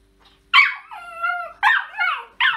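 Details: Maggie, a female West Highland White Terrier living in Germany, gives three sharp bursts of high, whining yips, joined by a long, wavering, drawn-out whine. The background is quiet.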